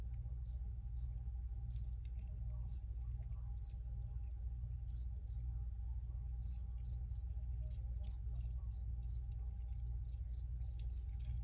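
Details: Chirping crickets, clear high pulses coming singly and in quick clusters of three or four, over a persistent deep background drone.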